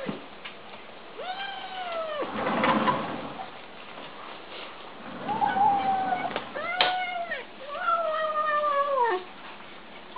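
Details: Kittens calling while eating: several drawn, arched meows with rich harmonics, each rising then falling, separated by chewing and rustling noise indoors.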